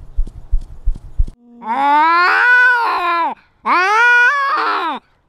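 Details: Territorial cat in a fight, asserting dominance while carrying a GoPro. Soft thumping gives way to two drawn-out yowls that swell, rise and then slide downward at the end, separated by a brief pause.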